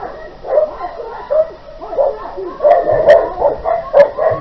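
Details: Dogs during an attack on 20 August 2018 in Küstrin-Kietz, Oderbruch, Brandenburg, Germany: an unleashed Newfoundland attacks a leashed Keeshond outside a property. Dense, harsh, harmonic yelping bursts repeat roughly every half second, louder and sharper toward the end.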